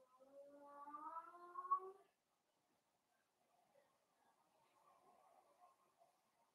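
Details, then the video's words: Blenheim Cavalier King Charles Spaniel puppies from a litter of five, born at New Year, playing with their mother Paris in an indoor puppy pen; a two-second run of high, rising, overlapping squealing whines, then quiet faint rustling. "Cavalier Puppies Play with Mama"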